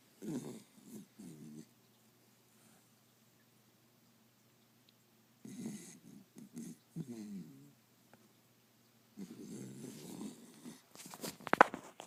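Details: Five-month-old Pembroke Welsh Corgi puppy asleep indoors, snoring in low, raspy bursts of snorts separated by quiet pauses, ending with louder rustling and handling noise.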